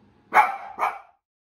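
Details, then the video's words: Female Shiba Inu barking: two quick sharp barks in close succession, the first stronger and slightly longer, in a quiet setting. "Shiba Inu Barking"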